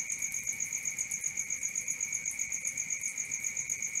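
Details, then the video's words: Night cricket chorus: a shrill, even trill pulsing close to four beats per second without pause, a constant high ringing tone over a quiet background. "Cricket 1 hour for Sleeping & Relaxation"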